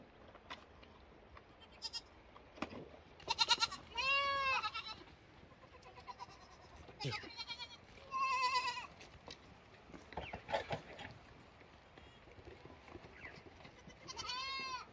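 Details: Several lambs call in turn: repeated tremulous bleats, some rising and falling in arcs, some short and nasal. They come in bursts every few seconds over a background of low rustling and thumps.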